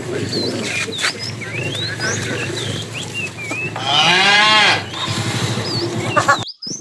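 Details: A tame cow in a herd wandering far for food gives a single short, arched, harmonic moo amid busy chirping and whistling birds and rustling background noise.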